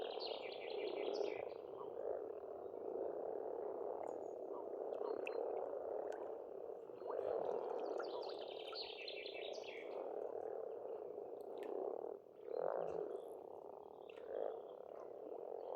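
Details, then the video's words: Many frogs croaking together in spring at a rural pond in Estonia, a steady rolling low drone without pause, while songbirds add short twittering phrases overhead and the chorus briefly dips near the twelfth second. "Расслабляющее пение птиц и лягушек, весна, природа."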